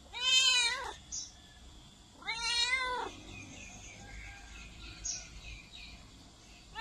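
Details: Domestic cat meowing, used to attract cats: two clear harmonic meows about two seconds apart, each rising then falling, with a faint high chirp between them and a quiet background.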